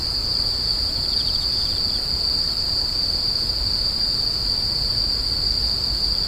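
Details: Steady high shrill insect screeching, one continuous ringing tone without pause, a short faint pulsed chirp around the first two seconds, low rumbling noise underneath.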